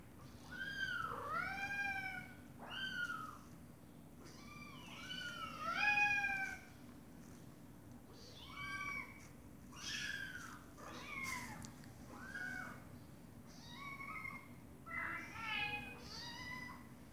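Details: A mother domestic cat with her meowing kittens; rapid high, arching meows in clusters, the kittens' cries thin and repeated, louder calls standing out now and then against a low continuous hum.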